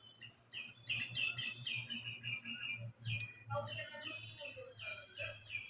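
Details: Squirrel calling from a tree: rapid bursts of sharp, high chirps repeated in quick runs, with short pauses between bursts, over a steady low hum.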